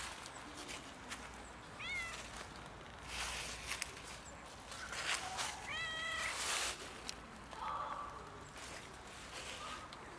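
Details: Cold outdoor cat in winter, seeking warmth rather than food: two clear, rising-then-falling meows about four seconds apart, with a softer, lower mew later, over steady outdoor hiss and rustles.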